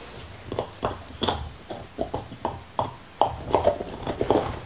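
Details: Black Labrador named Nixon, indoors, gnawing his favorite beef bone: irregular crunchy clicks and wet mouth sounds, about one crack per second, with soft licking between bites in a quiet small room.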